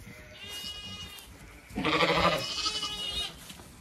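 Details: Zwartbles lamb separated from its mother, often lost, on a farm in County Kilkenny, Ireland, in the evening after a gate swung half closed. One loud, quavering bleat of about a second and a half, preceded by fainter distant bleats.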